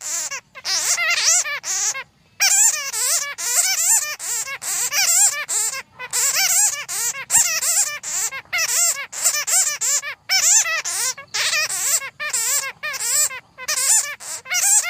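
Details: Bats chatter in a dense stream of shrill, rapidly warbling squeaks with only brief pauses; the recording is meant for luring bats into traps.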